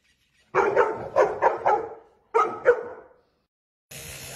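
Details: Labrador Retriever letting out a quick run of four loud, rough barks, then two more after a short pause, ending with a burst of hiss-like noise.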